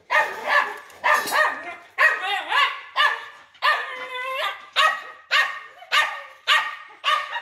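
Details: Big-bellied dog barking about ten times in seven seconds, harsh sharp barks in an uneven rhythm, several carrying a tonal, whining overtone, with short quiet gaps between.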